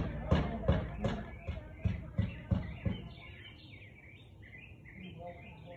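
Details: Siberian Husky barking on 13 March 2021 at 4:17 pm: a quick run of about eight sharp, broadband barks roughly three per second, fading out as birds chirp and twitter in the background.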